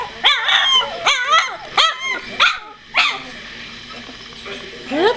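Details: Litter of two-week-old puppies, eyes opening, more mobile, giving a run of loud rising-and-falling whines and yelps roughly every half second, then a pause before one last upward-sliding whine.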